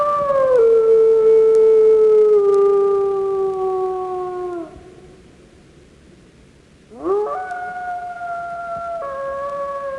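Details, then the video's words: Wolf howling: a long, smooth, tonal howl gliding slowly downward for about four seconds, a pause, then a second howl that rises sharply and holds a steady, slightly stepped pitch. "Wild Animal Sounds: Squirrel Bear Camel Wolf"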